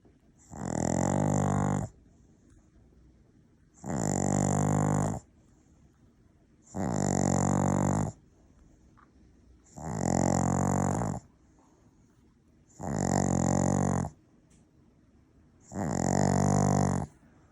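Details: Steady snoring from a sleeping Maltese-Shih Tzu cross dog: six loud, grating, buzzy snores in a regular rhythm about every three seconds, each lasting over a second, with near silence between.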